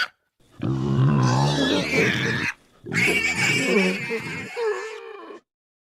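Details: Night-time wild boar in forest: deep, harsh, growling grunts with a rumbling low base, two drawn-out bursts of about two seconds each separated by a short pause, the second trailing into a whine.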